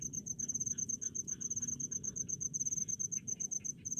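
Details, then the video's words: Cricket in rice fields: continuous fast high chirping in even pulses, with softer lower chirps and a more prominent low rumbling background. "SUARA JANGKRIK DI PESAWAHAN"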